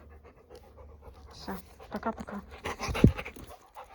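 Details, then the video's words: Labrador Retriever panting close by, quick breathy huffs that build and thicken over a few seconds, ending in one sharper puff, in a quiet room. "собака п’є воду"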